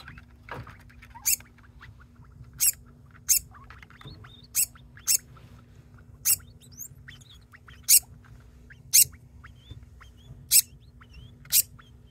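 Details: Degu Ocher, a pet, keeps calling and will not stop, with companion Buff chiming in as though harmonizing; crisp bright chirps recur every second or so, separated by soft thin squeaks, over a constant electrical hum.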